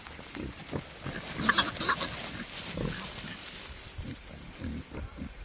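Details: Wild boar, a male courting a female in the wild, giving low grunts in quick uneven pulses, about three a second, over a hiss of rustling and brushing noise.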